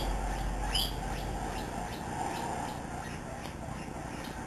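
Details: Misty, a young guinea pig aged seven weeks, runs around a living room with Peanut, another guinea pig. A rising squeal opens, then rapid soft squeaks follow at a steady, quick pace.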